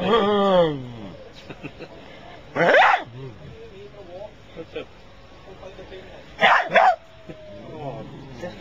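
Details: Dog; bark; wanting attention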